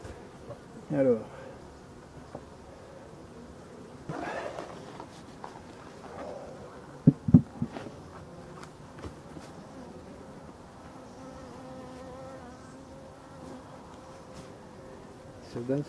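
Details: European dark bees in a Voirnot hive from abandoned hives in a forest, being prepared for winter on 30 October 2021: a steady low hum with faint tonal buzzing, a man speaking French, and occasional clicks and knocks from handling.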